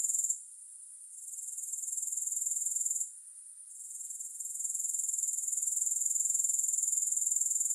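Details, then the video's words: Grasshoppers trilling, presented as a soothing sleep recording with no music: a high, dense, shimmering buzz pulsing rapidly and evenly, dropping away briefly twice, near the start and around three seconds, before swelling back to full strength. "Grass Hopper Sounds"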